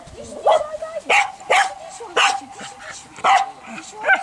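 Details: Berda, a Croatian Sheepdog aged two and a half years, during testing of innate traits: sharp single barks spaced irregularly about half a second to a second apart, with a steady tonal background hum and possible voices.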